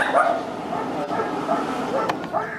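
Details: Afghan Hounds, several dogs gathered just before leaving for a dog show, give excited high yips and whining barks that run almost continuously and rise and fall in pitch.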